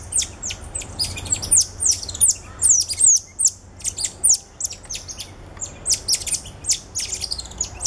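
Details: High, sharp chirps and downward-sweeping whistles pour from captive cotton-top tamarins at Alma Park Zoo, November 2013, where a father carries two ten-day-old infants; calls come in quick overlapping bursts over a steady low hum.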